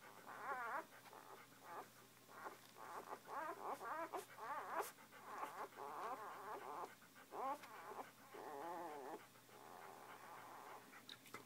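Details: Noisy litter of puppies feeding, a nearly continuous chorus of wavering mews, whines and squeaks from several pups, with brief clicks and a low steady hum in the background.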